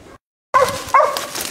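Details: Jax, a six-month-old dog, barks while treeing a raccoon, his fifth and sixth coon. Two loud, harmonic barks come close together after a brief silence, followed by a ringing tail.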